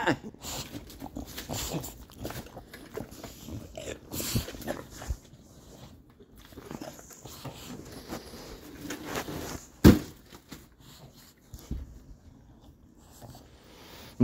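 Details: Baby bulldog throwing a teething tantrum indoors: scattered grunts, snorts and rough growly bursts at irregular intervals, with louder outbursts near the middle and end, amid scuffling and handling noises.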